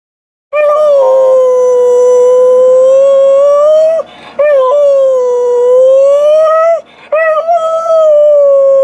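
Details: Purebred Alaskan Malamute howling, recorded around 2013 as a pet performs: long sustained tonal howls with rich harmonics, steady then gently rising, broken by two short gaps and brief yips between phrases.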